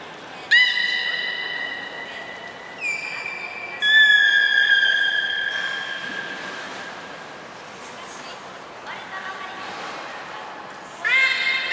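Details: Belugas Hodoi, Taanya and Mirai in a training session at Port of Nagoya Public Aquarium, 14 September 2019. Several loud, harmonic tonal calls: one long steady note and shorter rising notes, with quieter calls between and a faint hiss behind.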